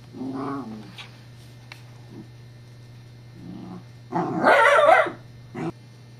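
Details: Scottish Terrier Evangeline at play with a teething pacifier whose disc rolls away: low grumbling growls early, then a loud rough extended bark-growl near the end and a final short bark, steady background hum.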